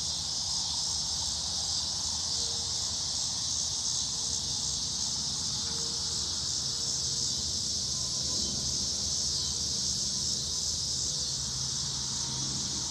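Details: Crickets and cicadas in Omaha, Nebraska, on 10 August 2016, a loud evening insect chorus: a steady, high buzzing and creaking wall of sound.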